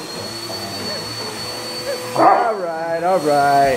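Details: A Rottweiler gives harsh, tonal barks and growls while attacking a running vacuum cleaner, over its steady whine.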